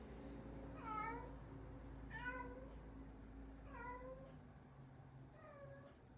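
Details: Indoor pet cat, female, caught on a cat cam on 11/11/20 crying: four separate plaintive meows, each sliding downward in pitch, spaced about one and a half seconds apart over a constant low electrical hum.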